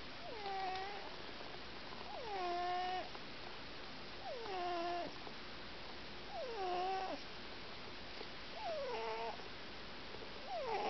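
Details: Gymble, a pet cat, sleeps soundly with his eyes open and snores: whistled, falling nasal tones with a brief level tail, repeated about every two seconds at a steady breathing pace in a quiet room.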